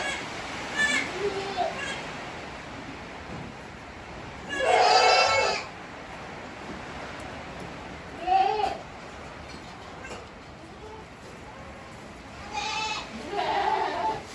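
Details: Tokara goats in Himi, Japan, 29 April 2022, an 18-day-old kid pair with their mother: a loud, wobbling bleat near the middle, then two shorter, softer bleats spaced several seconds apart over quiet farm background.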